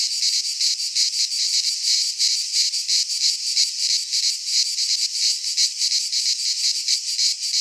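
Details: Cicadas singing in midsummer in a Greek pine forest: a dense, hissing, high buzz that pulses about three times a second, steady and unbroken throughout, with no other sounds.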